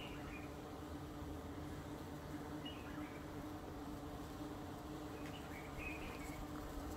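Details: A yellow carpenter bee buzzes on eucalyptus flowers, a steady, low droning buzz that holds an even pitch throughout.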